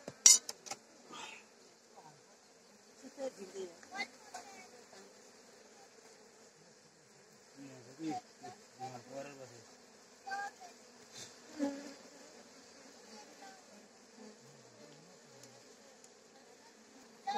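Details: Honey bees during honey harvesting at a home in Rampur, Palpa: a steady low droning hum runs throughout beneath frequent clattering knocks, scraping and brief human voices.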